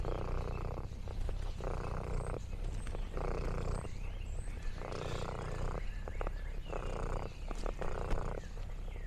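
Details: Orange tabby cat Lexi purring on a countryside farm outing, a deep even rumble alternating regularly between inhale and exhale phases roughly every second, with light crinkling in the background.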